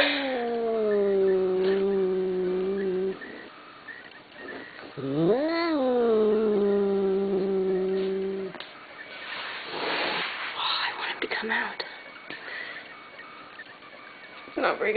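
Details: Pet cat hiding from new kitten slippers it hates: long, low, wavering growl-yowls, a steady moan for three seconds, then a rising, louder wail that settles into a drawn-out moan, followed by rustling and a woman's soft talk.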